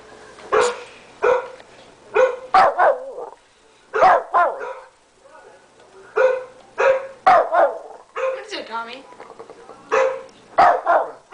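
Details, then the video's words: Shih Tzu named Tommy, a 13-pound household dog, keeps barking at the computer; quick high yaps in clusters of two or three with rising whiny edges, a person's voice speaking between them. "Tommy the shih tzu barking at the computer"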